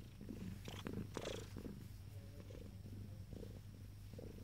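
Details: Purring from ten-day-old kittens, a continuous deep drone with brief higher squeaks and scuffling sounds scattered over it, especially in the first half.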